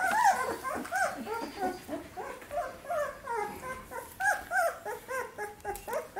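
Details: Samoyed puppies, 17 days old, from a litter, calling in a steady chorus of short high squeaky whines and yelps, each bending up then down, overlapping several times a second, indoors.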